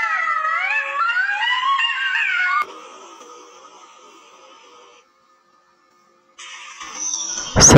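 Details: Several jackals wail together, their wavering voices rising and falling over one another for a few seconds; jackals are said to cry out when the call to prayer sounds morning, noon or afternoon.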